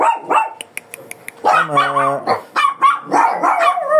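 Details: Shih Tzu in Pangasinan, described as fierce and angry about its haircut during grooming. Two sharp barks open, then clicking sounds and a human voice, and a rapid run of yappy barks follows.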